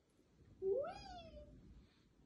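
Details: A pet cat being spun on a chair indoors in Germany lets out one clear meow that rises sharply, then glides down and fades, over a low room hum.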